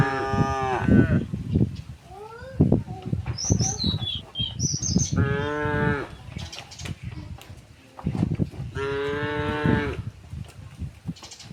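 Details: Tame cows walked home along a village road to the pen in the afternoon moo three times, spaced roughly four seconds apart, amid footsteps, rustling, clatter and brief high bird chirps.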